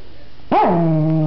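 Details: Pet dog playing with a new toy indoors gives a single tonal growling vocalization that starts with a rising-falling yelp and settles into a steady held note, slightly noisy room background.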